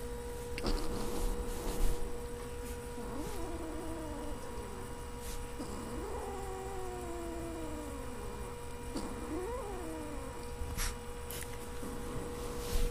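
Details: Siamese kitten throwing a tantrum over treats, which it will fight to keep, lets out about three drawn-out, wavering yowls that rise then slowly fall, over a steady electrical hum with occasional clicks.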